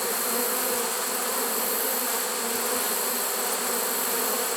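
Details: A honey bee swarm caught in a swarm trap on September 1, 2019, late in the season; a steady, dense, unbroken buzzing hum with bright overtones, holding level throughout.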